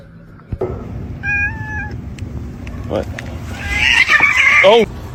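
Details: Kitten meowing indoors: a brief tonal call, then a louder drawn-out wavering meow that falls in pitch at the end, mixed with people talking and laughing.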